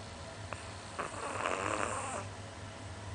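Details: Sleeping pet Chihuahua, a small dog about 20 cm tall, snoring like an old man, filmed close up: one long raspy, breathy snore lasting about a second after a faint click, with a low steady hum behind.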